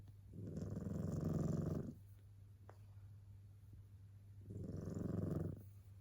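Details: Two long, rough snores, each over a second, come from Yukichi, a tabby cat fast asleep whose snoring sounds almost human. A steady low hum runs beneath.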